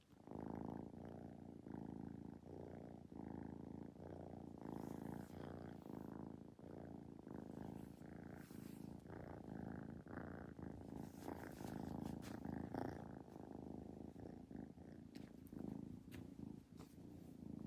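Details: Kitten purring continuously for many seconds, a low even rumble with gentle rhythmic pulses, some light rustling later on.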